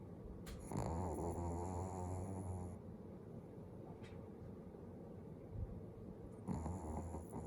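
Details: Domestic dog sleeping with its eyes open, snoring: a long rasping low snore from about one to three seconds, quieter breathing, then a shorter snore near the end, over faint room hiss.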